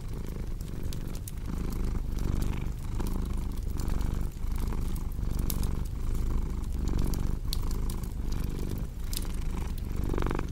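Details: Continuous low cat purr, a soft vibrating rumble pulsing evenly with the breath, set against crackling fireplace sounds with sharp intermittent pops and a brief louder snap near the end.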